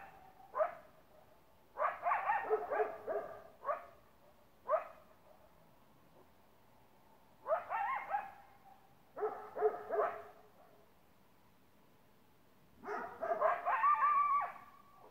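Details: Great Pyrenees barking with a coyote: irregular clusters of loud barks separated by short pauses, with a final burst of rough barking overlaid by a higher, sustained tonal cry.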